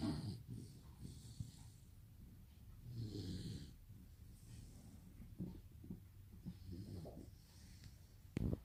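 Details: A Rottweiler puppy snores like a human, in low, rumbling rasps with each slow breath.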